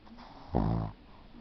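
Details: Sleeping Shih Tzu Yudi gives a single short, deep snort-like snore, a throaty rattling buzz under half a second long, set against a quiet background.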